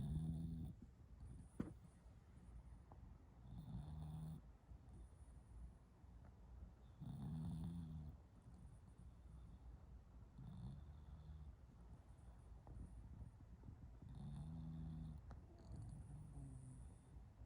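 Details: A female bulldog snores deeply in her sleep. Low, throaty snores rise and fade roughly every three to four seconds over soft breathing and a steady faint background hiss.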